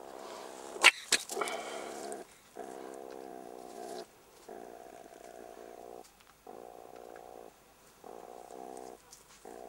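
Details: Young jackals harassed in their burrow by an attacking meerkat, giving rough, pulsed growling in repeated bursts of about a second or more with brief gaps, opening with a few sharp knocks and scuffles.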